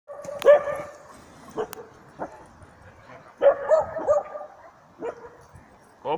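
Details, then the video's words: Dog barking at a mechanical bear during training at Jokela, Finland; a few sharp, harmonic barks come singly and in a quick cluster of three, separated by quieter stretches with faint clicks and a possible human voice. "Karhun haukkua pohjis."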